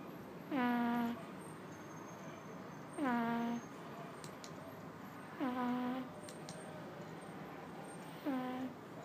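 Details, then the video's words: Sleeping pug puppy Chateubriand, only two months old, snores in a regular rhythm. Four tonal, humming snores arrive roughly every 2.5 seconds, each starting with a brief falling whine, over a quiet room hiss. "Pug Chateubriand , roncando com apenas 2 meses"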